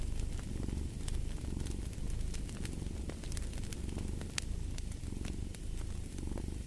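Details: Continuous purring of a cat, a soft vibrating drone with rhythmic surges about every second, set against frequent sharp crackles from burning firewood.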